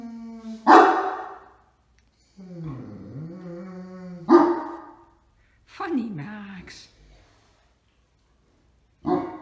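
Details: Sleepy Great Dane getting out of bed to act as watch dog, heading to the door with a second dog: two loud barks about three and a half seconds apart with a low, drawn-out moaning grumble between them, then further barks.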